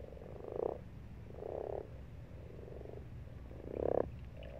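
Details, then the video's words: Frog croaking in a pond in March: clear purring croaks roughly a second each, three strong bursts with softer ones between, set against a low background hum. "Croaking Frogs"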